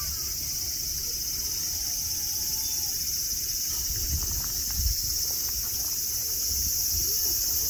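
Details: Cicadas in Nara Park, Japan, under blue sky among green grass and tame deer: a steady, dense high-pitched hiss drones without pause, with faint low rumbles and scattered soft sounds beneath.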